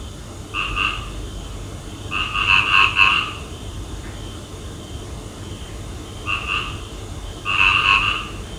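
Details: Frogs at night give short bursts of rapid, rattling croaks, pausing between each bout.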